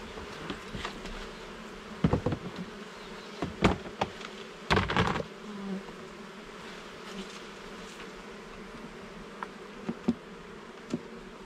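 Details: Honey bees buzzing at a garden hive during frame inspection, a continuous hum punctuated by several sharp wooden knocks and scraping clatters from handling the frames.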